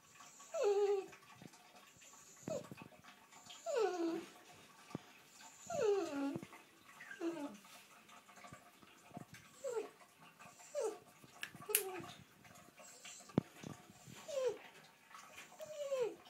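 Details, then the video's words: Pet dog in the bath making soft whining noises: a dozen short, high, falling whimpers and moans at irregular intervals of one to two seconds, with water splashes and a woman's voice. "Dog in bath making noises"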